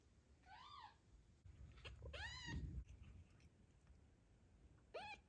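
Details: Mother cat Zlata, wary of other cats near her newborn kitten in the postpartum period, utters several short arched meows in quick succession over soft rustling and handling noises.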